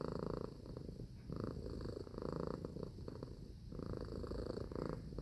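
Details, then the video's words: Cat purring close up, a deep rumbling drone in bursts that rise and fall with each breath, roughly every second, in a quiet setting. "Purring Cat Sound Effect"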